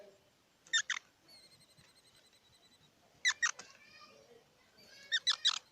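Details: Squirrel giving short bursts of rapid, harmonic squeaky notes, first a double pulse, then another pair about two and a half seconds later, and a final cluster near the end; a faint, thin tonal hum runs between the bursts.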